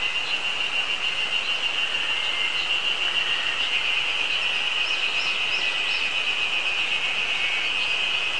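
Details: A continuous high cicada drone from Terpnosia nigricosta on a mountain, 24 May 2019, their first singing of the season, overlaid by short descending whistled bird phrases from Eastern crowned warbler and tits.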